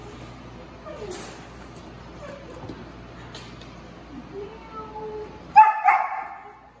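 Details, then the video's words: Female German Shepherd puppy reacting when her crate got invaded: a mostly quiet indoor stretch with faint murmurs, then two sharp, loud yelping barks close together near the end, fading quickly. "German Shepherd puppy reaction when her crate got invaded"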